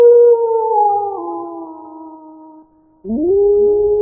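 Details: Wolf howl that glides gradually downward and fades out over nearly three seconds, followed after a short gap by a new howl sweeping upward and then holding steady.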